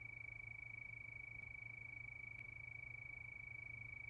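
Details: Nighttime crickets under the moon, giving a short stretch of steady, piercing high trill with a faint click midway and a low background hum.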